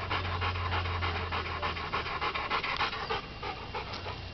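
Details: Dogs playing in the backyard: fast, breathy panting, about three pants per second, over a steady low hum.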